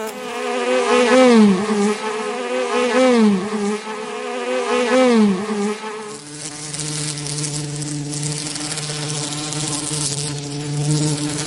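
A bee buzzes in a low, droning hum that swells and dips in pitch, then settles into a steadier tone.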